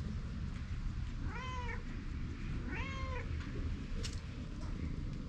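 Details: Stray cat outdoors, recorded on a GoPro, uttering two drawn-out, arching meows about a second and a half apart over a constant low outdoor rumble, with a brief sharp click near the end.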